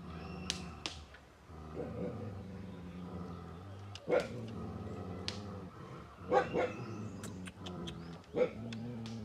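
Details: Tibetan Mastiff, known locally as Bhote Kukur, at a kennel in Okhaldhunga, Nepal: a few deep, loud barks break out near four, six and a half, and eight and a half seconds over a steady low droning hum.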